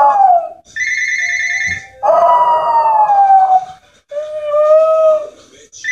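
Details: Pet Jack Russell Terrier at home, annoyed by the ringing home phone, howls in long wavering falling tones lasting about two seconds each, alternating with bursts of the phone's electronic ring.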